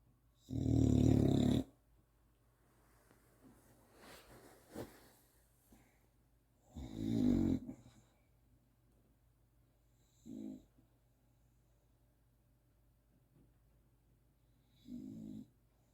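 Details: A female Old English Bulldog snores in loud, rumbling low bursts, each breath a rough rattling drone, waking herself up with the snoring.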